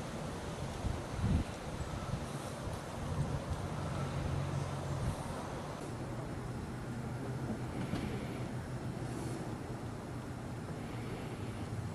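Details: A low, even outdoor rumble with light wind hiss and a few faint knocks, and no animal calls.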